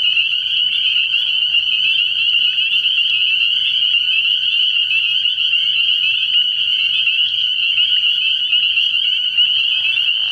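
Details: Spring peepers calling at night early in the year at a frog pond: a dense, unbroken chorus of high, piercing peeps blending into a steady shrill ringing, with a faint low pulsing hum beneath.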